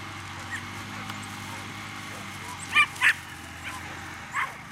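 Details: Female Whippets, 2019: two sharp, high yapping barks in quick succession near the middle, then a single fainter yip toward the end, over a steady low hum and faint background murmur.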